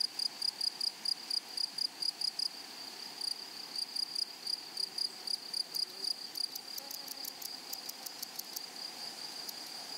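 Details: Grasshoppers calling in a flowery prairie meadow: rapid ticking pulses over a constant high ringing tone, then sharper clustered bursts in the second half, with soft background noise throughout.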